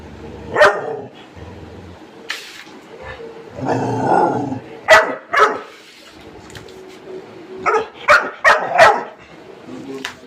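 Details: Labrador Retriever barking while being told, in Bengali, about being given rice; sharp, loud single barks early on, then a quick run of four barks near the end, with a person's voice between them.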